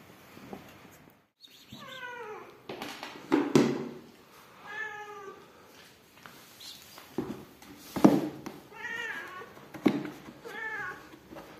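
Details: Rescued mother cat with her newborn kittens, indoors: a series of loud, drawn-out, wavering meows with rich harmonics, each about a second long, repeated with short pauses, mixed with thumps and handling noises.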